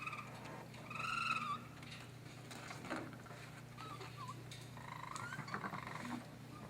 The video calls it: Cri de bébés ratons laveurs/Sound of baby Raccoons